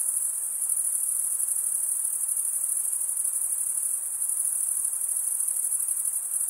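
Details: Unbroken, piercing cricket chorus, males rasping the wing edge across a comblike row of teeth; the trill holds constant pitch and loudness throughout, with light hiss below and nothing else.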